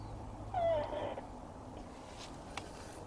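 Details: Siamese cat Shamue as a young kitten in 2017, back when still learning to use the litter box, gives a single short meow that slides downward and lasts about half a second, followed by quiet room tone with a few faint clicks.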